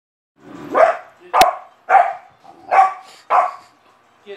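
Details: A Boxer puppy, scared when his treat bowl was moved as he dug at it, gives five short, hoarse barks at the bowl, one roughly every second, with a single sharp metallic clink.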